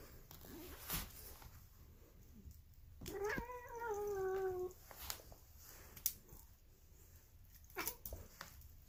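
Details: Weird-sounding female polydactyl cat giving one long, nasal, raspy meow of nearly two seconds that starts slightly higher and slowly sinks in pitch, surrounded by soft clicks and handling noises.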